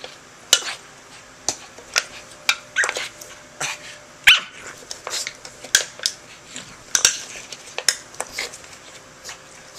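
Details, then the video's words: Charlie the dog goes crazy fighting a can he dislikes. Rapid knocks and scrapes of metal mix with brief, harsh yaps and snorting barks, scattered irregularly through a small room. "charlie fighting the can, goes crazy"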